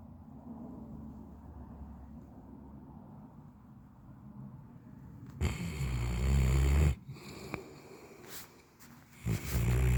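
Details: An Alabai, a Central Asian Shepherd Dog, snoring with a steady low rumbling breath for about five seconds, followed by louder broadband noisy bursts and rustling.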